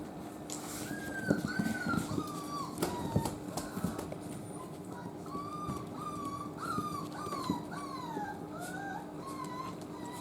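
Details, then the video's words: Miniature Dachshund puppy crying indoors: a long series of thin, high whimpers and squeaky whines, many falling or arching in pitch, repeated almost continuously, with occasional thumps and handling noises and a faint steady hum. "ミニチュアダックスフンドの赤ちゃん 犬の鳴き声"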